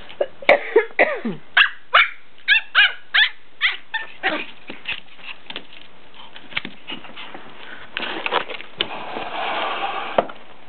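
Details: Two pet dogs, Lexi and Kodiak, barking at each other indoors: a rapid run of sharp, yelping barks about every third of a second for four seconds, then scattered softer yips and rustling.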